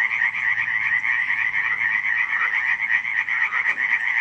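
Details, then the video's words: Frogs croaking at night in July 2015 at Radziszów: a dense, unbroken chorus of rapid rattling croaks, many callers overlapping in two bright bands, pulsing roughly four times a second with no pauses. "nocne kumkanie żab"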